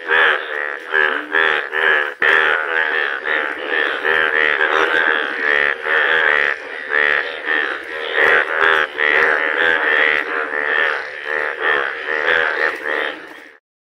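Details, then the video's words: Frogs giving unusual, rare sounds: a continuous chorus of rich, reedy, pulsed croaks overlaps for about thirteen seconds and then stops abruptly. "Unusual sounds frogs make"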